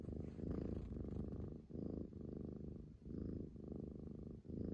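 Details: Hotate, a female Scottish Fold, purring on 11 February 2021. A strong, low buzzing rumble comes in clear bursts, each ending in a short breath gap roughly every second, with slight room noise.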